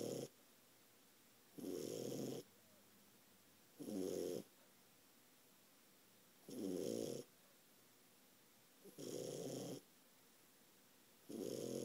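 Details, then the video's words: A 4-month-old French Bulldog puppy snoring loudly while asleep indoors: rough, rasping snores roughly every two seconds, each lasting under a second, with quiet pauses between breaths. "french bulldog snoring"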